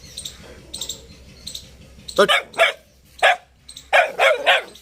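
A Boxer puppy gives a run of short, odd yelping and grumbling sounds in quick bursts.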